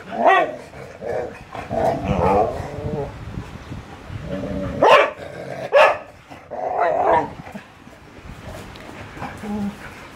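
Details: Siberian Husky and Labrador dogs playing, giving loud, rough barks and grumbling growls in short bursts, with strong yelps near five and six seconds and quieter whines between.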